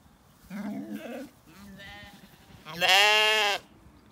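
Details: Evening orchard in County Kilkenny, Ireland, where weaned Zwartbles lambs wander; a short low bleat, a softer middle call, then a loud, bright, sustained quavering bleat lasting under a second, with faint birdsong behind.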